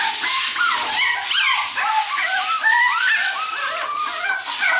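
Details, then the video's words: Panicked crying from a pair of Toy Poodle puppies during their debut bath, a dense string of thin, bent whines and squeals, rising and falling in quick succession over a steady hiss of spraying water. "トイプードル 子犬のお風呂デビュー‼︎大号泣とパニック劇"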